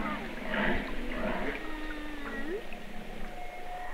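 Humpback whale song: low moaning tones and a long, smooth upsweep rising toward the end.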